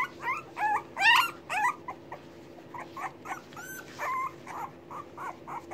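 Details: Litter of hungry English Bulldog puppies waiting for their momma to come feed them: rapid, repeated short yelping whimpers, roughly two a second, loudest early on, then softer squeaks and one longer whine.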